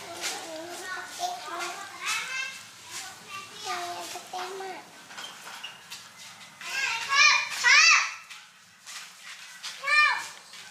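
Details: Kittens meowing around being called to eat food: a person's lower, wavering mewing sounds repeat through the first half, then several loud, high, sharply rising kitten-like meows burst out near the end, in a small indoor room.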